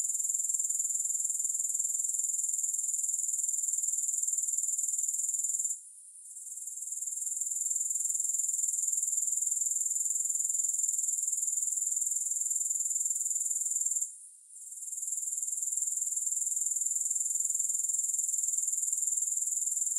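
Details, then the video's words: Grasshoppers keep up a thin, sizzling high trill with rapid even pulsing, broken by two short sudden drops in loudness before swelling back; no music or voices. "Grass Hopper Sounds"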